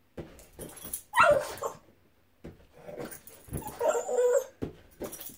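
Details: Boston Terrier at play with a balloon inside; short falling whine at the start of a burst, scuffing and rubbing noises, and a second wavering whimper midway, between quiet pauses.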